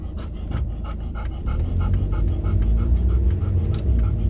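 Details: Golden Retriever, one of two dogs named Kohaku and Ibuki, happy on a countryside satoyama walk at sunset after staying home alone all day: quick rhythmic panting, about three breaths a second, over a steady low rumble.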